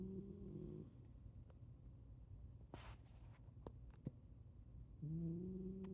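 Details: Sleeping Shiba Inu snoring: low rumbling breaths run throughout, with a steady humming tone at the start and again near the end, and a few faint clicks in between.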